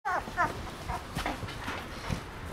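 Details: Shiba Inu, a pet dog called to while asleep: two short, high, whimpering yelps within the first half second, then soft low shuffling and faint murmurs.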